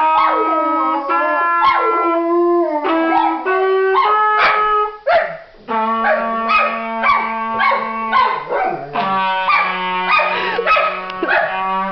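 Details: A 5-year-old female Golden Retriever howls along with a trumpet, her wavering voice straining upward into an unusual high pitch, which the owner thinks is an attempt to match the trumpet's higher notes.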